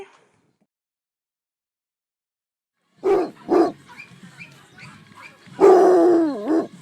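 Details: Basset Hound barking: two short sharp barks, then a pause and a longer drawn-out bark that bends downward at the end, in a quiet room.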